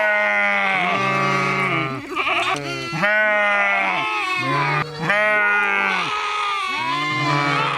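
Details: Sheep giving a series of drawn-out, quavering baas, each roughly a second long, repeated in quick succession with short gaps between calls.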